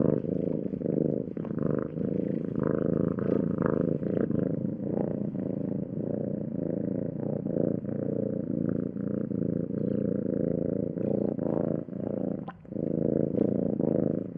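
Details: A house cat purrs continuously for over fourteen seconds, a thick low vibrating rumble pulsing with each breath, dipping only briefly near the end before the purring picks up again.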